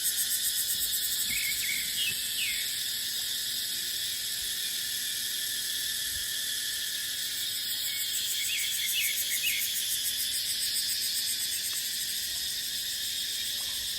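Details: Cicadas in a dry dipterocarp forest during the dry season, a dense, steady high-pitched buzzing drone that fills the whole clip without a break, with scattered short bird chirps rising and falling above the hum.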